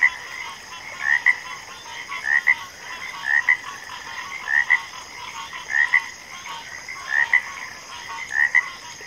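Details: Backwater frog chorus with regular double-note calls, a brief rising croak answered by another, recurring about every second and a quarter, set against a constant high-pitched hum and softer distant frog calling.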